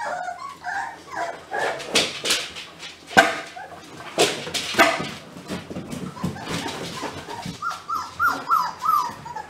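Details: German Pinscher puppy litter calling together indoors: a busy chorus of high, overlapping yips and short whimpers, some rising and falling in quick stepped runs, with sharp clicks and knocks in between.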